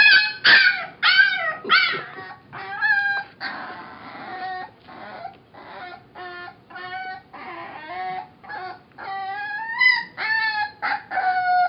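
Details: Female foster puppy, said to be about six weeks old, singing: a long run of high, wavering yelps and short howls, many sliding up then down, coming about twice a second with brief gaps between.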